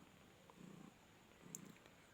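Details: Low, gentle purring rumbles from a litter of six kittens suckling milk at a cat market in Nayabati, Khalishpur, Khulna. Two short buzzy bursts, about a second apart, with faint background noise.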